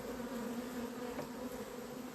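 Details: Agitated honey bees at the entrance of a hive in an apiary, 28 April, said to have gone wild: a continuous droning hum, even in loudness, with two steady stacked tones and a hiss of wingbeats over the top.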